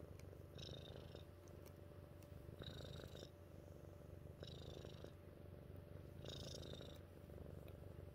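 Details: A domestic cat named Mittens purrs in a low, buzzing rumble, rising and falling in regular breath-paced cycles, with soft airy hisses accompanying each inhalation.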